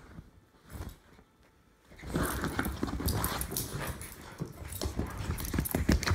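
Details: Jack Russell Terrier mix and English Bulldog in a play-fight: a quiet start, then from about two seconds a dense, rough, low growling with scuffling and thumping that continues to the end.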